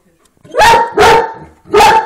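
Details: A big dog barks after spotting a rabbit through a window, giving three loud, sharp barks, the first two close together and the third after a short pause.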